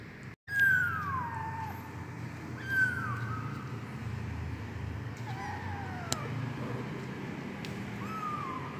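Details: Persian kitten of medium coat type mewing: high thin descending meows near the start, then fainter repeated mews spaced a few seconds apart over steady low background hum.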